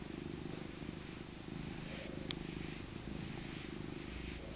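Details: Maca, an elder female tabby cat born in 2000, purrs contentedly during a winter cuddle; low continuous vibrating rumble with a sharp tick midway and soft fur rustling.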